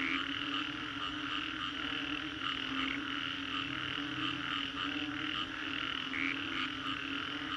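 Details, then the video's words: Frogs after a storm in the Green Corridor, Singapore, fill the air with a loud, seamless chorus of rattling croaks and trills, rising and falling slightly in intensity above a low constant hum. "Frogs after Storm"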